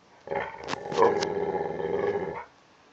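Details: Kodi, a half Rottweiler, half Tibetan Mastiff dog, growling while playing with his blanket indoors: one sustained rough, rumbling growl of about two seconds with a harmonic-rich, throaty texture, followed by quiet.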